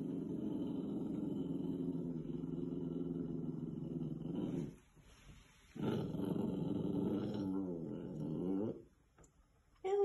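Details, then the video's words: A puppy growls at its own reflection in a mirror, indoors: long low continuous rumbling growls, a brief pause, then another sustained growl rising slightly before breaking off. "sees a stranger in the mirror & doesn’t like it"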